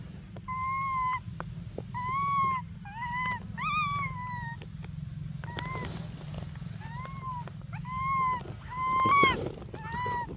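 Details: Baby monkey Briar crying for milk during an emotional standoff: arched, whistle-like wails with rich harmonics, each lasting about a second, repeated with short pauses over a steady low background hum.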